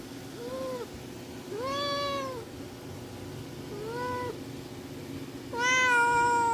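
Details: Luna, a young tuxedo kitten, meows for attention and looks angry: four arched, harmonic meows that rise then fall, spaced over six seconds, with the last one louder and longest. A low hum sits underneath.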